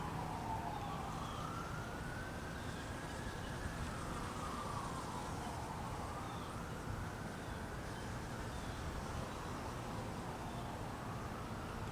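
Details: A wailing siren sweeps up and down repeatedly over a steady low traffic rumble, with no animal sound heard.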